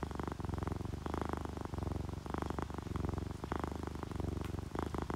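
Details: Loud, close purring from a content, relaxed pet cat, ginger tabby or calico, purring when happy; deep rumbling bursts repeating roughly once a second with each inhale and exhale.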